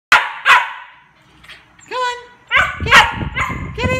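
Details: A Siberian Husky gives two sharp barks, then a run of wavering, talkative yowls, asking to play with the owner's watch.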